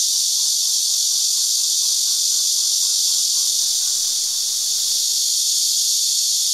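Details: Seasonal chorus of numerous cicadas resting on tree limbs at Shangjiadong chicken farm, Houbi District, Tainan City, recorded by digital camera: a steady, shrill buzzing wall of sound that never pauses, with soft rhythmic ticking notes faintly below.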